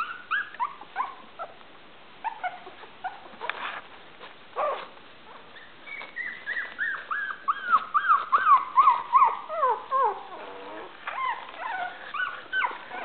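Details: Maltese puppies at 23 days old, a litter of five at play on a hardwood floor; thin, squealing whines that slide downward, repeated in quick strings, with a longer drawn-out falling whimper series midway and soft taps between.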